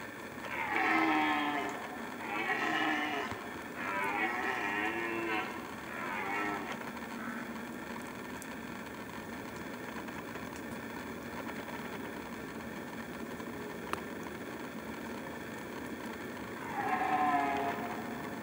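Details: Red stag bellowing during the rut season: four hoarse, harmonic-rich roars follow one another over the first seven seconds, then a long quiet stretch before one more loud roar near the end.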